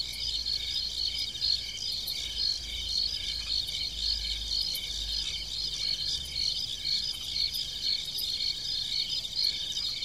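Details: Nighttime cricket chorus in countryside farm fields: steady high chirping pulses repeating about twice per second, many callers overlapping into a constant trill, low background rumble.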